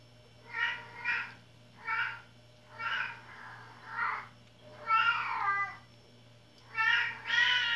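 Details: Pet cat meowing repeatedly indoors, about seven short nasal meows, some doubled, spaced roughly one second apart, over a steady low electrical hum.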